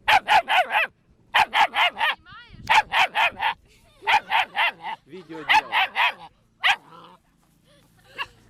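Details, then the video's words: German Shepherd dog barking hard in rapid bursts of three to four loud barks, with short pauses between bursts and a brief yelping note mid-sequence before it trails off to quiet. "GERMAN SHEPHERD Sounds for Kids - Barking, Howling, Breathing Sounds of German Shepherd Dogs"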